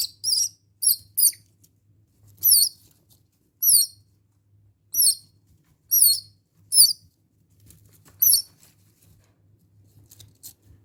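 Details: Hungry young squirrel in an indoor enclosure screams to be let out, as it does in the mornings when taken out late; a series of about ten shrill, high, wavering screams in bursts, with soft scratching in bedding.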